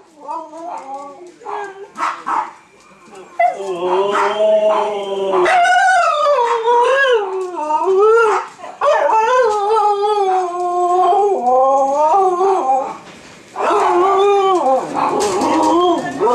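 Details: Two Siberian huskies howl in long, wavering, rising and falling tones, "singing" for their supper before feeding.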